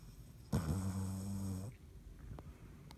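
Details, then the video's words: Dottie the dog asleep and snoring indoors: one long, low rumbling breath lasting about a second, with steady buzzy tones, followed by quiet room noise and faint clicks. "Dottie snoring"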